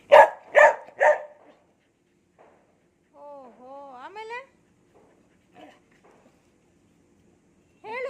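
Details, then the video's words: Three quick harmonic yowls open the clip from Cherry, the kitten-minding pet dog, then come long wavering tonal notes, scattered faint sounds and a final rising note, with occasional Kannada speech from its owner. "ಮುದ್ದು ಚರಿಯ ಮಾತು ಕೇಳಿ cherry talking take care of kittens"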